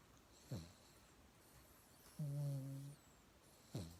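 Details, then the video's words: Sleeping mixed-breed pet dog named Yangyang snoring in a new, upgraded sleeping posture indoors; a droning low snore of under a second framed by two short rasping breaths, in a quiet room. "양양이는 코골이 댕댕이"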